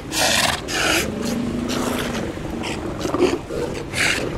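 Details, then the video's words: Sea lion colony at Mar del Plata or Necochea, Argentina: rasping, throaty grunts and a low drawn-out moan over steady background noise, with short bursts of broadband hiss. "Visitamos las colonias de Lobos marinos de Mar del Plata y de Necochea"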